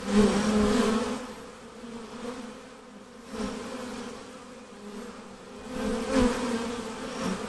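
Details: Swarm of honey bees being hived, giving a continuous droning buzz. The hum rises in loud surges near the start and again toward the end, with quieter stretches of buzzing between.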